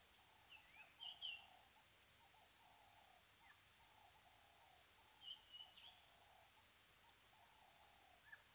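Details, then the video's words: At Mabula Gnu waterhole, Mabula Game Lodge, South Africa, a cheetah gives short, high, bird-like chirps in two brief bursts over a steady insect hum. "Cheetah calling at Mabula Gnu, was still calling behind cam"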